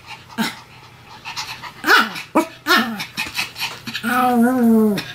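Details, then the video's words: Pomeranians Sam and Marin duet barking: a few short yips and rising yelps, then a drawn-out, wavering whine near the end that holds a steady pitch for about a second. "犬の鳴き声 ポメラニアン サム マリン デュエット吠え"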